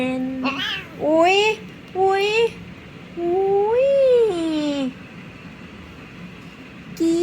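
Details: Indoor domestic cats at bedtime, their owner coaxing them to play before sleeping; a series of loud, drawn-out meows that rise then fall, one long wavering call near the middle, with an air purifier and cooling fan humming underneath.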